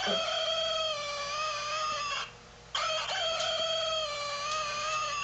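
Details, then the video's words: Havanese dog in the dark, trying to imitate a chicken: loud, continuous, steady-pitched howling with rich overtones. It breaks once for about half a second, then resumes just as strongly, wavering slightly in pitch. "Havanese talking Dog in the Dark"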